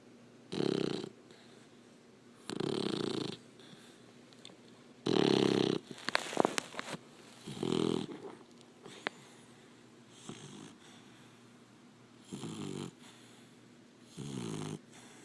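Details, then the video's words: Sleeping Labrador Retriever puppy gives raspy snores at uneven intervals of about two seconds, with a few sharp clicks and snuffles mixed in around the middle. "Snoring lab puppy"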